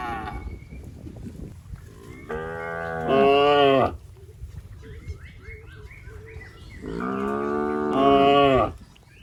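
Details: Tame cattle in a rice field eating grass; two long moos, each starting lower and swelling into a louder, higher-pitched bellow lasting about two seconds, separated by rustling field noise.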